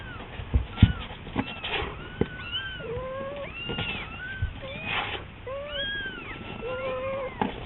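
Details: Pet kitten at home, toddling, crying in a thin, frail voice for its owner ('Mama') to hurry home. Rapid series of high, arched, rising-then-falling meows, about a dozen in under eight seconds, some overlapping, with a few soft knocks in the room.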